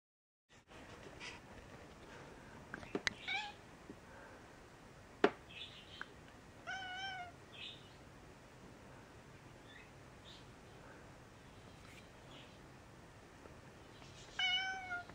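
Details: Mouse, a very vocal gray tabby house cat, kept confined for a few days while unwell and on medication. Two quieter harmonic meows, one mid-recording and one at the end, rise then fall over a steady indoor background hiss with small knocks.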